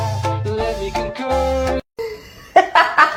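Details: Rhythmic music with sustained tones and beats, a short silent gap, then more music and possibly some laughter, with no animal sounds.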